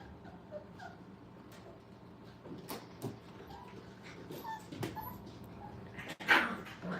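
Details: Dog puppies five weeks old having fun at a kennel, giving scattered short whimpers and thin yips, with a sharp louder yelp late on and light knocks and shuffling around them.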